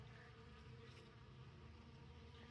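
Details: Honey bees at an open winter feeding on December 6, working honey left in a tote with oak leaves added and honeycomb holding bee bread and pollen; a low, steady, quiet hum of many wings with no distinct calls.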